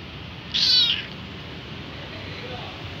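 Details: Hungry kitten crying and calling for its mother: one high, thin meow lasting about half a second, with bright stacked overtones, followed by quiet background hiss.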